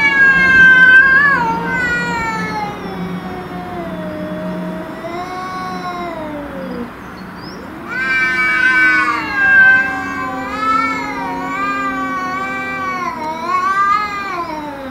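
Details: Fighting domestic cats confronting an intruder cat, trading loud, sustained wavering yowls that rise and fall in pitch, with a brief dip in the middle before an intense undulating wail returns.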